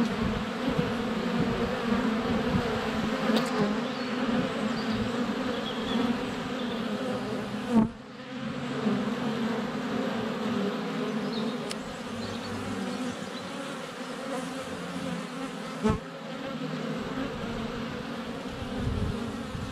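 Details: Swarming honey bees at the hive entrance on a sunny February day, GoPro close to the hive: steady dense humming with sharp knocks near eight and sixteen seconds where bees land on the camera, plus faint higher chirps.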